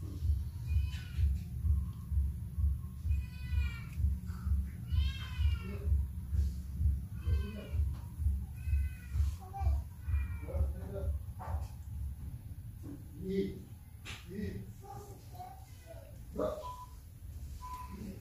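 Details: Mother cat with kittens, a steady stream of short, harmonic meows repeated roughly every second over a continuous low purring rumble, the calls becoming shorter and softer toward the end.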